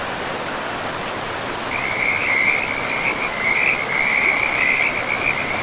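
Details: Frog by a river in a pristine forest, a fast rattling trill of croaks beginning near two seconds and continuing to the end, steady rushing water beneath.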